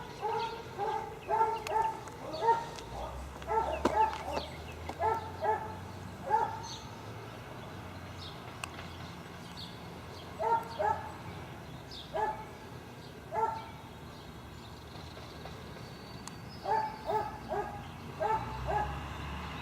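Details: Dogs tied up near a dump give short bursts of sharp barks, clusters of two to four separated by brief pauses, over steady low background noise.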